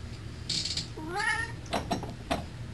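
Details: Domestic cat asking to have a door opened, giving a short rising-then-falling harmonic meow in a small room, with rustling and a few soft knocks around it.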